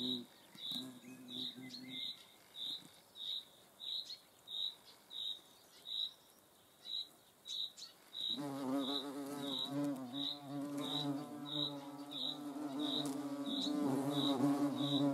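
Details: Hornets observed in the Eifel; a steady low harmonic wing buzz fills the second half, with a brief buzz near the start, over a regular chirping pulse repeated about every two-thirds of a second throughout.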